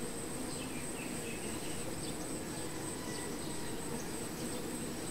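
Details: Honey bees at their hive: a dense, steady buzzing drone that fills the low range without a break, with a thin constant high whine above and faint scattered chirps of passing insects.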